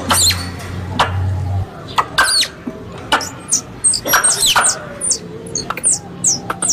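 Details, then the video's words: Squirrel calls for a hunting lure, Indonesia: it opens with a low humming tone, then high, falling squeaks and chattering clicks come in bunches, some stacked close together. "Suara Tupai 3 In One Terbaru Sebagai Penyempurna Suara Pancingan Tupai"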